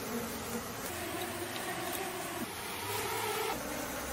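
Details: Bees swarming around an open hive on a stone while a bare-handed beekeeper extracts honey, a steady low droning hum with a fuzzy, slightly wavering tone and faint rustling noise throughout.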